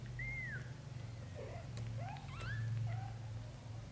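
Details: British Shorthair kittens with their mother Samel, indoors; kitten Lotus dreams in her arms while his brothers drink milk. Several thin, squeaky mews rise and fall in quick succession over a steady low rumble.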